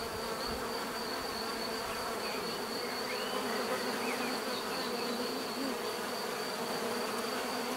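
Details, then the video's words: Continuous hum of many bees, an even drone with stacked harmonic bands and a faint high steady tone, a few soft chirps passing in the background. "bees therapy relaxing natural buzzing sound"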